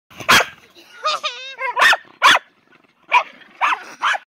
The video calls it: Jack Russell Terrier FullForce Barking